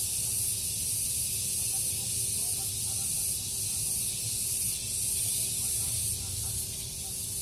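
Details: In a garden in the morning, cicadas take turns and join together in a loud, sizzling high drone with rhythmic surges every couple of seconds; a low rumble sits beneath.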